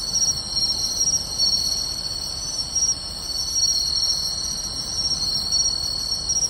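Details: Summer-night insect chorus of pine crickets, bell crickets and others in grassland by a beach, Tainai, 24 August 2020; overlapping shrill sustained trills with rhythmic pulsed notes above, no other clear sounds.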